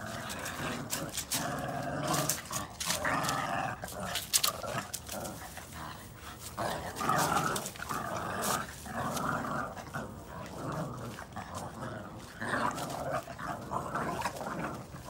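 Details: Boston Terrier puppies, red and brown, tugging on a chew ring in play, growling for fun; broken bursts of raspy growling mixed with sharp knocks and scuffling, louder swells near eight seconds.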